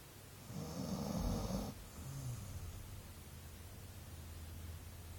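A sleeping Golden Retriever gives one rough, rattling snore, then breathes out with a low, soft rumble.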